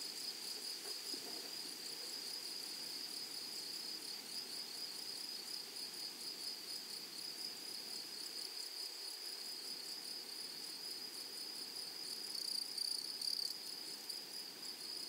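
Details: Grasshoppers in a flowery meadow: a steady high, thin ringing trill holds throughout, with fine rapid pulsing and a fainter overtone above it, and a slightly louder stretch near the end over soft background hiss.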